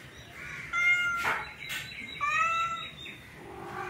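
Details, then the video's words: Orange male cat trying forcefully to mate with a female cat gives drawn-out, wavering yowls with clear harmonics, two long moaning calls about a second apart, with a short noisy burst between them. "Orange male cat wants to mate with female cat forcefully"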